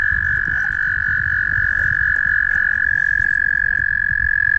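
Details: Noisy mating toads at Guildwood waterfront: one unbroken, even, high-pitched trill runs through the whole stretch, with low background rumble beneath it.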